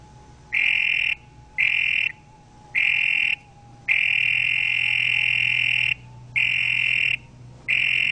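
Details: Buzzy, pulsed toad croaks, mostly half-second bursts about once a second, with one drawn-out trill lasting around two seconds midway, over a faint low hum.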